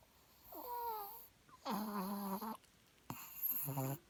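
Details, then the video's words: A pet dog makes three drawn-out, tonal whining sounds, the first wavering and falling, the second steady and longer, the third short and rising, separated by brief quiet gaps. "My dog makes sound"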